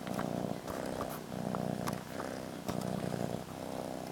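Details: Pet cat Molly purrs while snuggling her blanket, a loud close-up rumbling purr in rhythmic in-and-out pulses with faint clicks and rustles.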